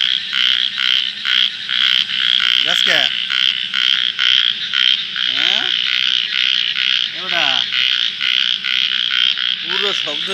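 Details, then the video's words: Frogs calling in the dark of night, a dense, steady high-pitched pulsing chorus running throughout, with men's voices talking briefly several times over it. "রাতের অন্ধকারে ব্যাঙের ডাক Live দেখুন | Frog calls in the dark of night"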